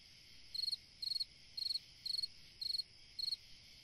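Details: Summer-night cricket song, each chirp a quick cluster of about five pulses, repeated about twice a second against a faint continuous insect drone.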